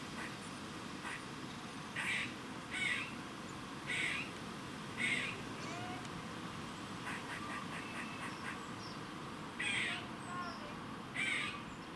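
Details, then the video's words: A squirrel in Cambridge, UK, on 27 September 2019 at about 3:16 pm gives harsh, raspy warning barks in short bursts about once a second over a low background rumble. "share Squirrel makes funny warning noise in Cambridge UK 27sep19 316p"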